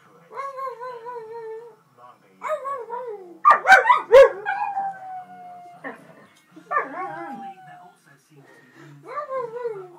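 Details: A jug and a husky join in howling together, giving a series of wavering, falling howls about every two seconds, with a burst of loud overlapping yelps near the fourth second and a long held tone after it.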